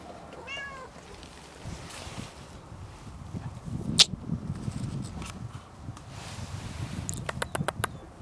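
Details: A domestic cat up for adoption gives a single short, rising-then-falling harmonic meow near the start. A low indoor rumble follows, with one sharp click midway and a quick run of faint taps at the end.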